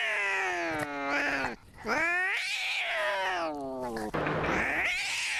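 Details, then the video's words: Screaming from Maxwell, a cat: drawn-out, strongly tonal wails that dip, then swoop upward and sag again, repeated in two long cries separated by a brief breath, with a rasping tail at the end. "Maxwell 2049 Taddy Cat Screaming"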